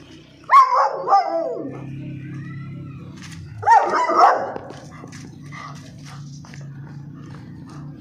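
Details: Stock coat German Shepherd giving two loud, hoarse barks about three seconds apart, each dropping in pitch, over steady background music.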